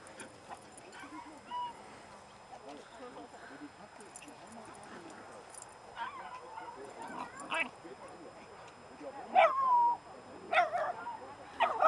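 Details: A 4-month-old female Dobermann puppy at a puppy play group gives high, wavering whines and short yips, with voices murmuring in the background.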